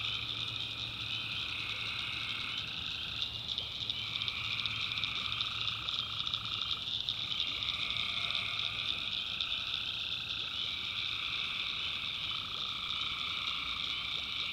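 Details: Night chorus of tree frogs from a North Carolina backwoods swamp: continuous overlapping trills in several high bands, shifting in slow undulations roughly every three seconds, with a soft low droning hum beneath.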